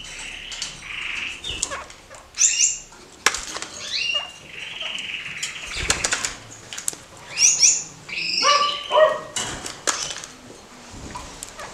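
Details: A caged pair of kakariki, playing and climbing in a cage emptied to give them room: short rising chirps and a few sustained mid-pitched notes, mixed with frequent clicks and wing flutters from their movement.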